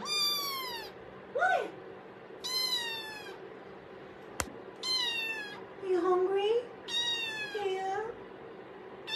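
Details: Domestic cat indoors meowing repeatedly: four drawn-out, rich-toned meows about every two seconds, several sliding downward at the end, with shorter squeaky calls between them and a person talking gently to the cat.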